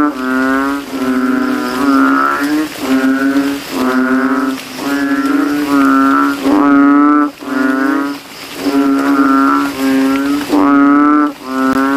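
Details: Banded bullfrogs calling loudly from a rain puddle in a cemetery after dark, throats ballooning as they compete: about ten droning, nasal bass notes, each near a second long, repeated with short pauses, several voices overlapping.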